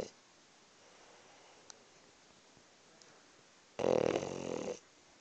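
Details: French bulldog napping at work, giving a single loud, rough, rasping snore about four seconds in that lasts roughly a second, with a quiet room otherwise.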